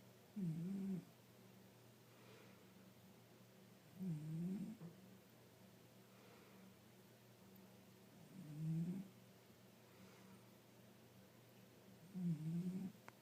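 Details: Loud snoring from a sleeping five-year-old tabby, four low rattling breaths about four seconds apart, each with a wavering, throaty tone, over a quiet steady room hum.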